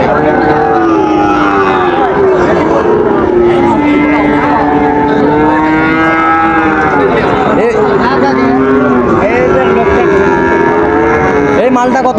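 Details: Sahiwal bull calves at Raniganj cattle market in Dinajpur, Bangladesh, on 9 September 2024. Long, drawn-out harmonic moos overlap and repeat throughout, wavering in pitch, from several animals at once, over a steady hubbub of crowd voices and market noise.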